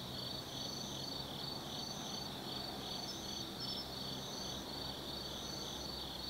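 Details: Autumn night insects in the forest of Tsukimi no Mori, Gifu, Japan, above the Nobi Plain: overlapping high buzzing trills and short repeated shrill chirps, steady in loudness, with a low rumble underneath.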